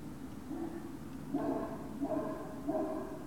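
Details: Great Dane puppies at Puppy Hill, evening of 19 February 2019: three short, tonal whimpers repeated about every two-thirds of a second, each slightly wavering, over a steady low hum.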